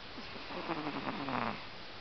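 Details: A pet Pomeranian snoring while asleep at home; a soft, low rasping snore with faint harmonic bands, steady and quiet against a light background hiss.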